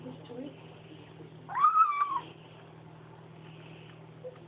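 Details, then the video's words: Bengal kitten drinking milk with its mother utters one drawn-out, slightly falling nasal mew, preceded by faint murmuring, with a continuous low hum in the room. "Kitten who makes nomming noises"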